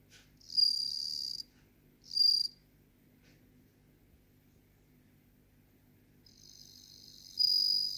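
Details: Bell cricket (Meloimorpha japonica) singing: high, ringing tonal trills in bursts, one lasting about a second, a short second burst, then a longer one building at the end, separated by near-silence with a faint low hum.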